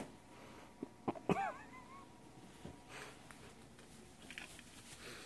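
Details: A Turkish Van kitten, dealing with a cat carrier, lets out one short meow whose pitch wobbles down and back up over about half a second. A couple of soft breathy huffs come before it, then quiet room hiss and light shuffling.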